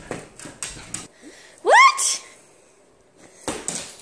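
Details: Nala, a playful pet husky at home, lets out one short, loud yelp that sweeps sharply upward in pitch. Soft thumps and household rustling come before and after it.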